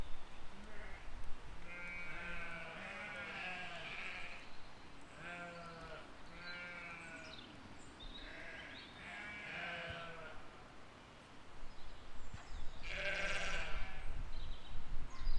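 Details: Sheep and lambs graze in a field in spring 2020 and call over and over. The wavering, quavering baas overlap from several animals, and a sharper, louder bleat stands out near the end.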